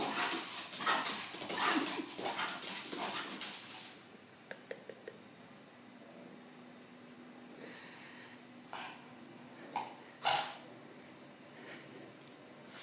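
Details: Ziggy the French bulldog spins happily. Dense wheezy snorts and panting fill the first four seconds, then scattered single snuffles and sharp puffs over a quiet room.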